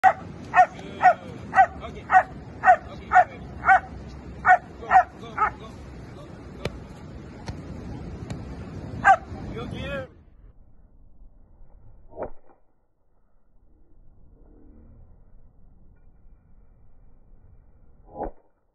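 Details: German Shepherd dog barking during protection training, a run of about ten loud, sharp barks spaced roughly half a second apart over the first ten seconds, then a quiet pause with a couple of brief isolated sounds; human speech in the background.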